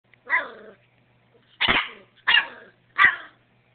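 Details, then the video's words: A puppy barking: four short, harsh, yelping barks spaced roughly half a second to a second apart, the first one softer and more whining, with near silence between them. "puppy bark"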